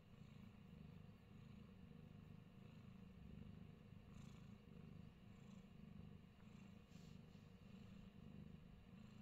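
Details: Himalayan Persian cat Fat Boy, in New Zealand, gives a deep steady purr, a buzzing low throb that swells and eases in regular breaths, with faint soft rustling above.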